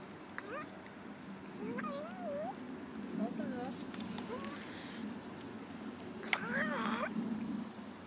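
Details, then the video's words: Abandoned cats in a city park meowing while begging for food; several wavering, bending meows of different pitch come at intervals, overlapping with steady conversation in Dutch and German and a sharp click near the end. "ABANDONED CATS IN OUR CITY PARK BEGGING FOR FOOD"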